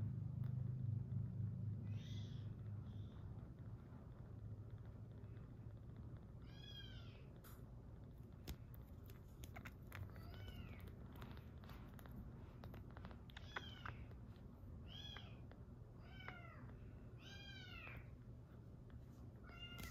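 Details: Rescued kitten on its sixth day, purring while stroked: a low, steady rumbling hum fills the first three seconds, then thin rising-and-falling mews follow every second or so over soft rustling.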